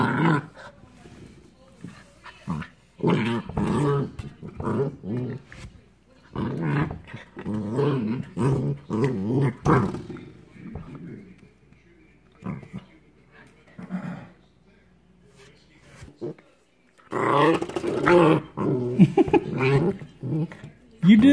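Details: Corgi puppy at its first Christmas, playing indoors with a toy while it is snowing outside: bursts of low, rough, wavering play growls repeated irregularly, mixed with a man's encouraging speech and background music.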